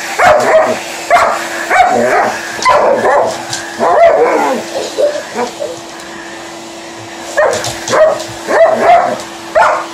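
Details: Alaskan Malamute named Liza talking back to a hoover in action indoors: busy runs of yips, woo-like barks and whimpers in clusters, a quiet stretch midway, then more chattering calls, with the vacuum cleaner droning beneath.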